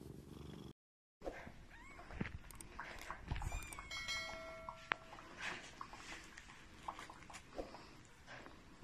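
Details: Grey and white Korat kitten sounds while playing: several short rising meows mixed with soft purring, with brief clear tonal pings near the middle and light handling noise.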